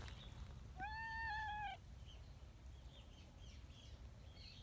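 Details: Affectionate tabby street cat on a bench, a community cat met outdoors, lets out a shrill, strongly husky meow lasting about a second, steady then slightly falling, followed by quiet outdoor ambience with faint distant chirps.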